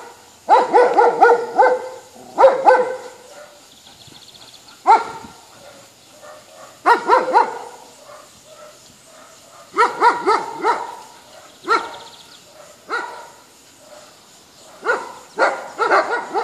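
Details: A boastful Poodle taunting geese barks in clustered volleys of sharp, harmonic yaps, two or three at a time, separated by pauses of a second or two.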